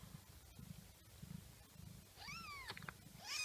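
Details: Mother cat indoors during the birth of her kittens; over a low background hum come two short arched meows, each rising then falling in pitch, near the end.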